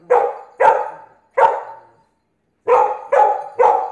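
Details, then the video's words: Blue Pit Bully puppy "dominating" an adult Staffordshire Pitbull Terrier: six sharp, mid-pitched barks, three spaced about 0.7 seconds apart, a pause, then three more in quick succession. "Blue Pit Bully Puppy "Dominating" Adult Staffordshire Pitbull Terrier"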